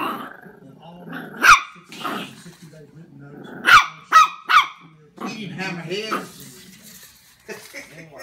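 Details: Jack Russell terrier puppy confronting a large gummy bear, with scattered high yips and a quick triple bark, mixed with low growls and a person talking.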